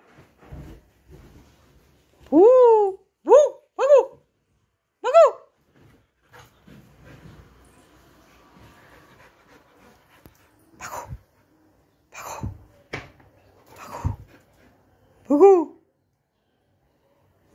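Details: A Labrador Retriever searching for a missing person gives short, high, rising yelps and whines in separate bursts, about eight over seventeen seconds, with clicks and quiet room sounds between them.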